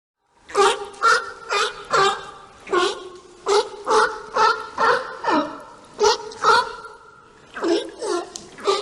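A lemming gives short, harsh, nasal squeaks, about two a second in uneven bursts, with a brief pause midway. No other sounds intrude.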